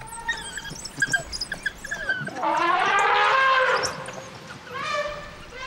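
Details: In Botswana, an African elephant gives a loud, brassy trumpet, a harsh blast held over a second: an alarm call to intimidate African wild dogs near their den, whose strong scent elephants cannot tolerate.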